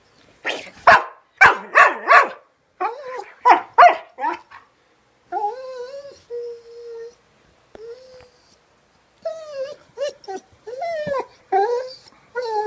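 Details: Female pet dog singing when mildly annoyed: a few sharp barks give way to drawn-out, wavering tonal howls, some held steady and others sliding down, then a burst of quick, yodelling yelps. A person says "come on" afterwards.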